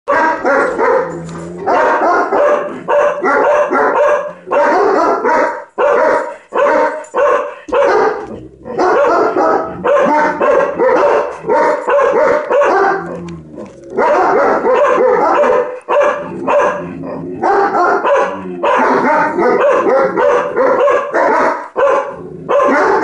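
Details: Loki the dog barks at ladybugs, a long run of rapid, loud barks packed closely together with only brief pauses, keeping up a steady agitated stream for over twenty seconds.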